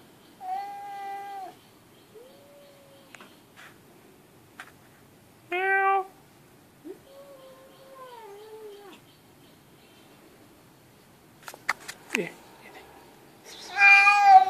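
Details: A cat said to talk like humans: a series of varied meows, some flat and held, others rising then falling, separated by pauses, ending with a louder strained meow and a few clicks and knocks in a quiet room.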